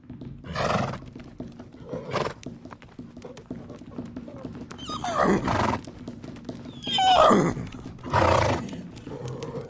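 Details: Fighting horses in the wild make short, rough, roaring squeals spaced a few seconds apart. Between the bursts there is low background rumble.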